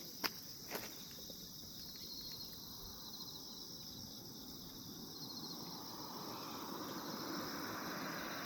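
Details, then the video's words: Calm morning chorus of grass insects: a continuous high, even shrill hum holding level throughout, opened by two brief clicks and backed by a low rustling wash that swells slightly toward the end. "평온함 아침 풀벌레소리"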